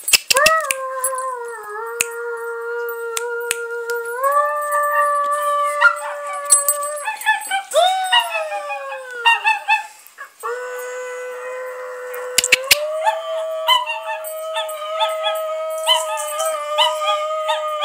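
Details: Dogs, including puppies, howling in reaction to a person singing; long sustained tonal howls holding steady pitches with rising and falling steps, several voices overlapping, with sharp clicks and knocks throughout.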